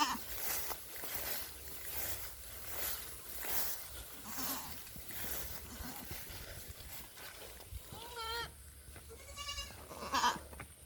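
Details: Bleating goat on a Philippine mini farm, linked to a pet kid possibly bitten by a cobra; a pair of short, wavering bleats late in the clip, set against steady wind buffeting and rustling.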